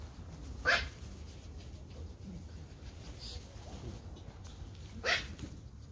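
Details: Pomeranian Toy Pom puppies at play in a garden; two sharp, bright yaps stand out about four seconds apart against a quiet low hum.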